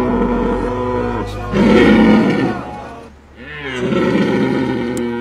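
A deer gives deep, harmonic bellowing calls in two drawn-out bouts.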